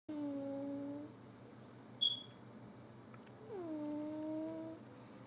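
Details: Billi, a little domestic cat deep in sleep, snoring indoors: two drawn-out whistling tones, each gently falling then levelling over about a second, separated by a quiet pause and one brief high chirp.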